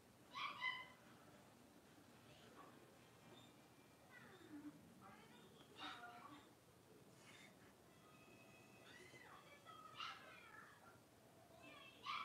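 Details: Young blenheim Cavalier King Charles Spaniel puppies from a New Year's litter of five playing in a pen; scattered squeaky yelps and drawn-out bending whines, a few sharp cries at start and end, against a quiet indoor background.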